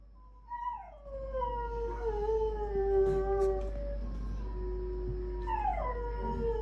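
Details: Pet dogs howling: a long tonal howl sliding down from high to a steady low note, with a second rising-then-falling howl near the end over a faint background hum.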